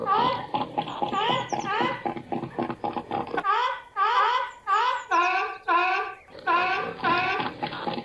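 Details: Seal voice in 8D audio: rapid rasping pulses for three seconds, followed by a series of strong harmonic, bending barks, each about half a second, in quick succession.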